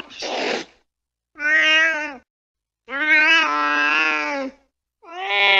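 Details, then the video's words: Late at night a cat chasing a mouse gives four drawn-out meows with short pauses between them. The first is rough and breathy, and the later ones are clear, tonal and slightly wavering. "tiếng mèo đuổi chuột trong đêm khuya"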